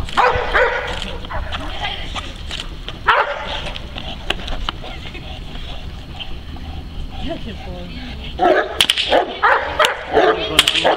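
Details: A working Neapolitan Mastiff defends his owner from several agitators. Bursts of rough, rapid barking open and close the passage, separated by a quieter spell, with voices and sharp clatters mixed in.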